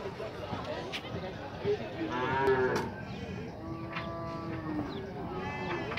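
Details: Nelore cattle unloaded into the corral at the Tabira cattle fair in Pernambuco, Brazil: two moderately loud, steady moos in the middle of the recording, amid knocking, crowd murmur and men talking.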